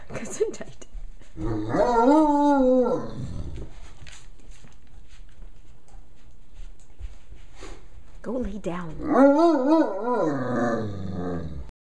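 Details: A Great Dane, female, gives two drawn-out, wavering howls that rise, hold, then slide down; she also sneezes and "talks" in her own way.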